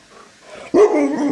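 An Alaskan Malamute gives a sudden, drawn-out 'woo', a mid-pitched, wavering vocal rather than a bark.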